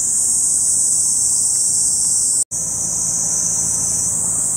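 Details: Cicadas drone in a continuous, high-pitched, shrill chorus with no pauses on Mt. Ogon, Hiroshima, Japan, on a hot, sunny morning on 15 July 2018, a week after heavy-rain landslides. Cicada sounds are also listed in the background music.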